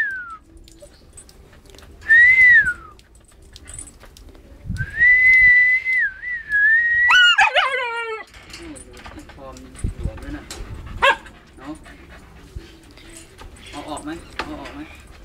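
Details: Siberian Husky named Bubble barking and howling in its own style: drawn-out whistled whines near one pitch, a wavering sustained howl, then a sharp rising-falling yelp burst with stacked harmonics, followed by quieter whimpers and scattered short barks over low background noise.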